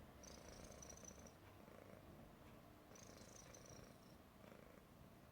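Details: Persian cat, said to be happy, snoring softly: quiet continuous low rumble with rapid fluttering texture, plus two thin high wheezy whistles on the breaths, each lasting about a second.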